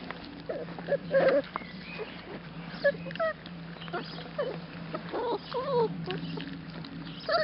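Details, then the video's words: Young labrador retriever puppies eating solid food from bowls for their first time, smacking loudly; short whiny squeaks and whimpers rise and fall between eating noises, with a steady low hum behind. "Pups eten uit kommetjes - Puppies eating solid food"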